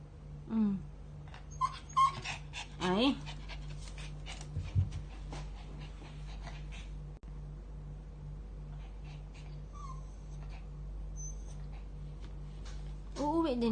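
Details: Pomeranian named Bearshka crying while its owners are away, high wavering whimpers and whines that rise and fall in short bursts, with a woman speaking soothingly in Filipino and a steady low hum in the room.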